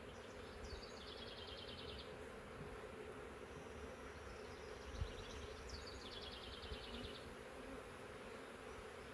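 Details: Thousands of honey bees from a huge swarm taken in a swarm trap, issued from a wild woodland hive three years old. A constant droning hum fills the comb, while a bird's rapid high trill repeats twice in the background.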